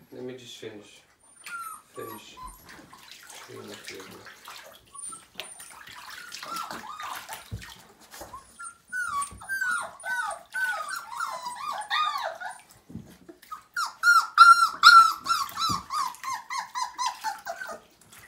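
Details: Siberian Husky puppy, five weeks old, whining through its first bath: running bathwater and talk at first, then a growing series of arched, harmonic-rich whimpers, loudest and most rapid near the end.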